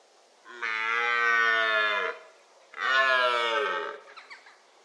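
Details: Male red deer bellowing in the October rut. Two drawn-out roars of about one and a half seconds each are rich in harmonics and dip slightly at their ends, with faint clicking afterwards.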